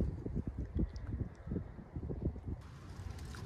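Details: Outdoor recording where puppies sun themselves, with only low rumbling wind noise and handling thumps and no animal voice heard.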